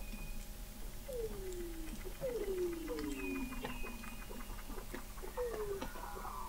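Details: Weddell seals beneath the sea ice of McMurdo Sound, Antarctica, November 2017, heard from an installation 21 m below the ice: short descending glides repeated about every second, faint clicks and a high steady tone above a background hum.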